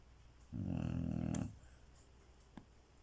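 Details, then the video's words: Chow Chow snoring loudly indoors before being woken with a shock; one low, rumbling, buzzy snore lasting about a second, followed by quiet room noise and a faint click. "Snoring dog"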